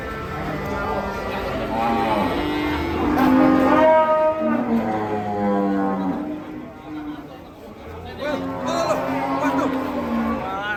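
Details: Several agitated, rampaging cattle bellow in overlapping, drawn-out moos. The calls are loudest around the third to fourth second, followed by a quieter gap and then another burst of bellowing.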